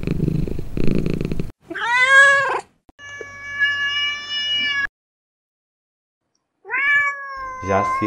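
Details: Domestic cat meowing: a short human voice opens, then a rising-falling harmonic meow, a long flat tonal cry, a pause, and a final drawn-out meow with a scratchy ending.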